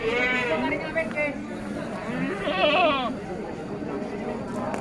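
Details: Bligon semi Jawarandu breeding goat, recorded 18 April 2025; a wavering bleat opens, then a second shorter quavering bleat follows about two seconds later, over continuous male talk.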